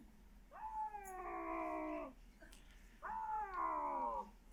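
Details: A bobcat gives two drawn-out, slightly guttural meows, each rising briefly then sagging at the end.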